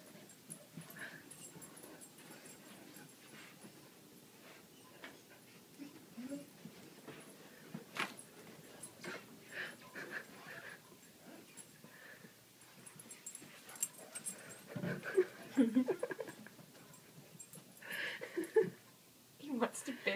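A corgi whines in soft, wavering, high-pitched bursts, eager to bury a treat.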